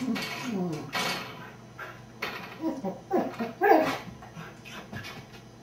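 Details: Beagle mix dog left home alone, recorded by a home camera, giving a series of whining, yelping cries with rising and falling pitch, several in quick bursts over a few seconds, in an indoor room.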